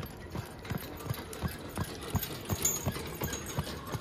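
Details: Friesian horse being driven, its hooves striking in a quick, sharp, evenly spaced clip-clop of roughly three beats per second, crisp percussive knocks over a soft background hiss.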